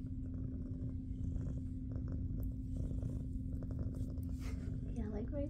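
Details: Jiji, a big fluffy female shelter cat returned to SBACC, purrs while getting belly rubs indoors; a low, steady rumbling purr runs throughout under women's soft talking and a constant electrical hum.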